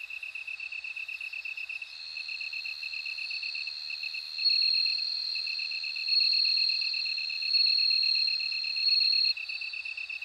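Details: Bell cricket chorus with a rapid, regular high pulse train throughout and a clear, piercing ringing trill that comes in several long surging bursts, separated by brief pauses.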